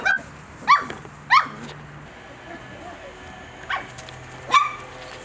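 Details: Playful mini doodle puppies (Bordoodle x cavoodle) at breakfast give four sharp, high-pitched yelps with bright harmonics, two close together early and two later, over quiet rustling and a faint hum.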